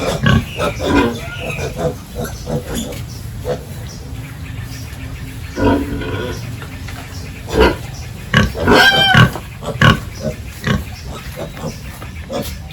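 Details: Pigs on a village farm during the morning feeding and pen cleaning, giving rough, noisy grunts throughout and a burst of higher, harmonic squeals around the middle, with clattering farm work in the background.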